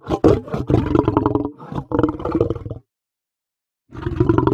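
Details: Lion producing loud, rough, growling roars in quick succession, a choppy pulsing burst of nearly three seconds, then a pause before another harsh roar begins.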